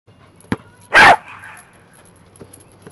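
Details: A corgi barks while trying to herd and bite a basketball too big for its teeth. A single sharp, loud bark comes near the start, with a few faint knocks before and after.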